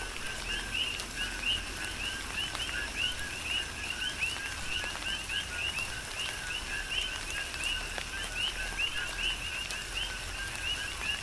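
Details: Coqui frogs serenading in tropical rain on Hawaii's Big Island: a rhythmic chorus of short two-note calls ending in a bright upward chirp, tightly overlapping among callers, set against soft rain hiss and occasional drops.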